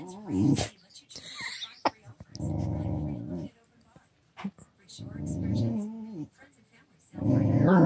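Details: Pet dog growling while being coaxed to sneeze, the growls coming just before a sneeze; two low, rumbling, harmonic grumbles of about a second each, with short human speech and laughter-like voices between and around them.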